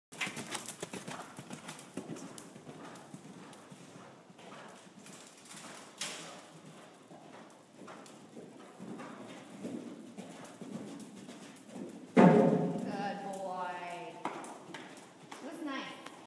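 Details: Grey Thoroughbred gelding shown in eventing, with irregular clip-clop hoofbeats through most of the recording, then a brief burst of louder broadband sound with a rising tonal sweep near the end.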